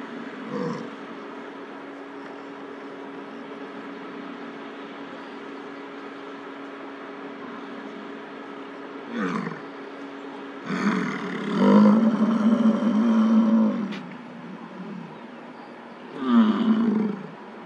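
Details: Vocal male American bison in rut, Lamar Valley, Yellowstone, standing beside a female across from a car during a bison jam; deep, growling bellows, a long drawn-out roar of about three seconds followed by a shorter one, with quieter grunts earlier.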